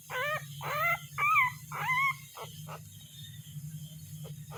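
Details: Puppy crying and searching for its mother: three loud, quavering high whines in quick succession, then a few short, fainter yelps, over a continuous low hum.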